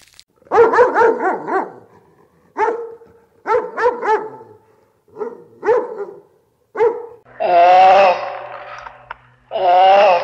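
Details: Farm dog barking: short rapid barks in bursts, a quick run of four or five, then single barks every second or so, ending in longer drawn-out whining howls.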